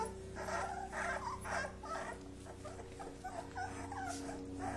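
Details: Kuvasz puppies play-fighting with their father nearby: rough, overlapping growls and grumbles in quick pulses, against a constant low electrical hum.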